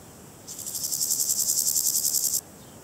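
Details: Variable Chorthippus grasshopper, also called Balkan brown grasshopper, gives a single dry, buzzy, finely pulsed rasp lasting about two seconds, very high-pitched and steady, then stops abruptly against quiet background.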